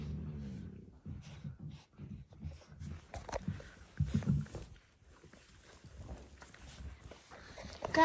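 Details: Dalmatian puppies in their last few days together, giving low, rough growling grumbles in short bursts through the opening seconds, then quieter scuffling, with a person talking to them over much of it.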